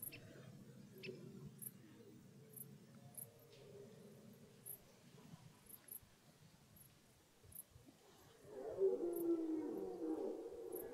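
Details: Red deer rut starting in the woods: low, muffled background groaning at first, then after a long quiet gap a loud, rough roar with harmonics rises and is held for several seconds.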